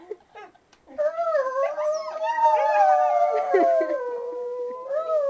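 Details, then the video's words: Pet dog howling along while a woman plays the ukulele; after a short quiet start, one long, sustained, mid-pitched howl with rich harmonics that wavers slightly and dips near the end, then rises again. "Dog singing!"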